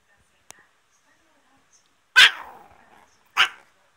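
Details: Rana, a Chihuahua, barking: two sharp, high-pitched barks about a second apart, the first trailing off briefly, after a faint click in otherwise quiet surroundings.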